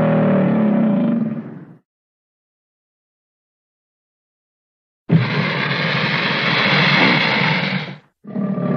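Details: American alligator voicing a deep rumbling bellow that fades out, a long silent gap, then a harsher, rougher roar lasting about three seconds, and the start of a third rumble.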